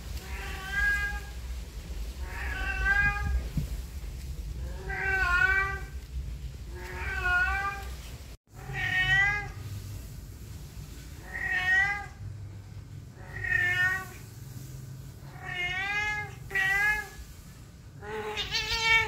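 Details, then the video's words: Talkative domestic cat, said to meow whenever humans are around, calls about nine times in a row, each meow wavering and bending in pitch, spaced roughly two seconds apart over a steady low hum. "Kucing yang senang mengeong meow meow"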